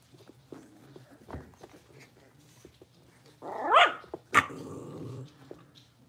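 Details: Young blenheim Cavalier King Charles Spaniels from a litter of five, newly moved into a bigger indoor pen: quiet scuffling and soft growling, then a sudden bark with a falling yelp, a second sharp bark, and low grumbling.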